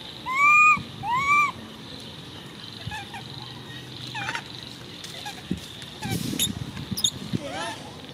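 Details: Baby monkey Coco lets out two loud, arched squealing screams in quick succession, then fainter chirpy calls follow amid rustling, knocks and background hum.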